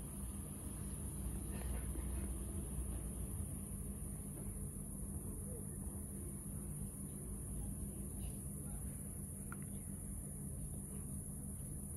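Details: Night street ambience with a steady low traffic rumble, a high electrical whine and faint distant voices, with no clear animal call.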